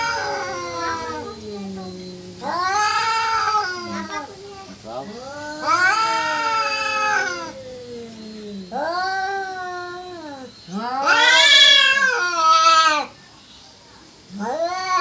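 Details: Cat caterwauling, perhaps wanting to mate or fight: loud wavering yowls, each swelling and falling, coming almost back to back with a few lower moaning tails between, the loudest near the end turning harsh.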